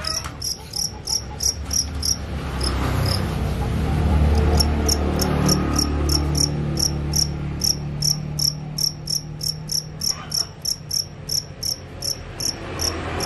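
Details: Field crickets kept as a singing tutor for a white-eye bird learning the 'krik krik krik' call; sharp high chirps repeat steadily, roughly three per second, over a low rumbling hum that swells midway.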